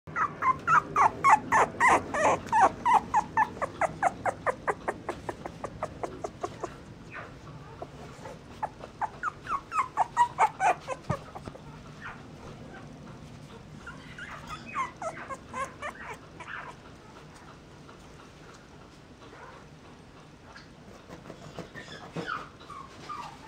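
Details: Mixed-breed puppies, sibling littermates filmed together, give a run of rapid, high, sharp yelps and whimpers, several a second in bursts. The yelps come loud at first, then softer and scattered, with thinner whines near the end.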